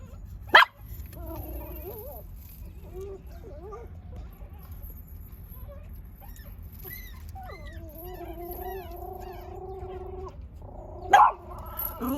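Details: Puppy whining: short wavering whimpers, then one long steady whine held for about three seconds, set between two sharp knocks.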